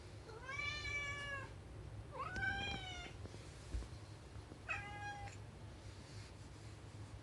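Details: Rescue cats longing for the outside world, meowing: three drawn-out, clearly pitched meows, the second rising then level, the last short, spaced over five seconds against a low steady hum.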